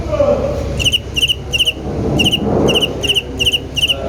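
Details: High, shrill cricket chirps begin after a quiet first second, short pulsed bursts repeated about twice a second with a small gap, over a low murmur of background noise.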